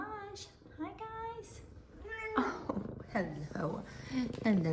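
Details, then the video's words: F2 Savannah cats excited to see their owner, one meowing a lot and one purring. Steady harmonic meows, then a burst of several overlapping chirpy meows, with the owner's voice mixed in. "Cute Excited Meows And Purrs! F2 Savannah Cats Zara And Kumba Are Happy To See Me!"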